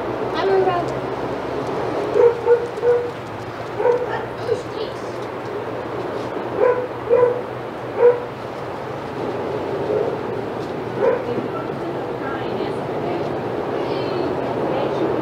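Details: Senior dogs at Old Friends Senior Dog Sanctuary, filmed by the Outside Yard cam, going crazy as Titus passes: scattered bursts of barking, several in quick pairs, over a steady background hum and some talking.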